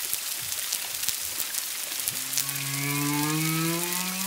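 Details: Humpback whale song recorded at Culebra, Puerto Rico, February 25 2022, one to two miles distant, a second whale also present: after two seconds of crackling hiss, a long, slowly rising harmonic moan swells and holds to the end.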